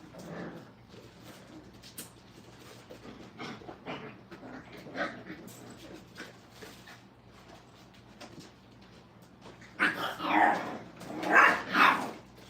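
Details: Crate-training Brittany puppies in a kennel: soft scattered whines and whimpers for several seconds, then a run of loud, rapid, overlapping yelps near the end.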